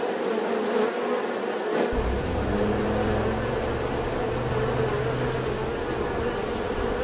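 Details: Steady humming drone of a bee, even and continuous; partway through a deep low rumble like a passing engine joins underneath and lingers to the end.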